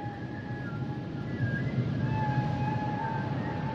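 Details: Singing humpback whale: long sustained tonal moans, one mid-pitched and others higher and wavering, stretching across the whole stretch above a dense low underwater rumble.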